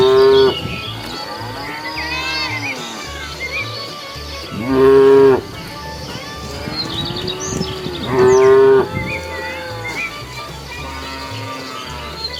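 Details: Cows walking around a road searching for food give repeated loud moos, three strong harmonic calls spaced about four seconds apart with quieter drawn-out lowing in between, a low hum beneath and faint high chirping.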